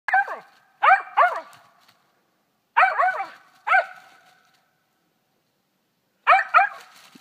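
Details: One-year-old female dog barking while treeing a gray squirrel in South Georgia: loud, sharp barks in short bursts of two or three, with pauses of one to two seconds between groups, about seven barks in all.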